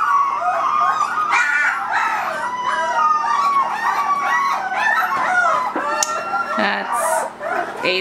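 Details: Three-week-old Irish Wolfhound puppies crying continuously, a dense tangle of bending, nasal whimpers sliding up and down, several pups overlapping with hardly a pause.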